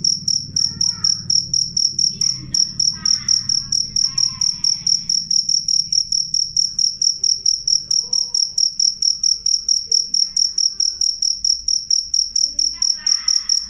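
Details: Cricket chirping loud and clear, meant to repel rats: an unbroken run of piercing high pulses, roughly two per second, with faint bird calls and low rumble in the background.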